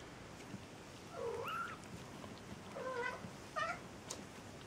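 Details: Maine Coon cat from a cattery in Saint Petersburg, Russia, indoors: three short tonal meows, each bending down then up, spaced about a second apart, over a quiet room hiss.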